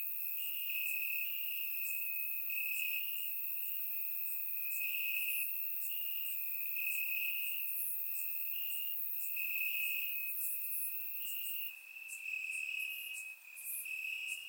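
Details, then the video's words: Chirping of crickets in the grass during a warm Bulgarian summer night, captured in surround sound; a continuous shrill pulsed trill holds steady while faint higher insect clicks flicker over it. "Cricket Sounds - Crickets Chirping at Night"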